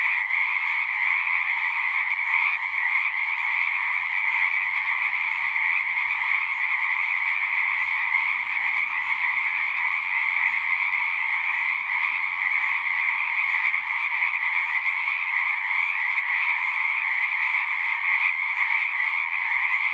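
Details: Frogs singing in a dense, unbroken chorus: countless overlapping croaks merge into a steady two-layered trill, one lower and one higher, holding the same loudness for the whole stretch with no other clear sounds.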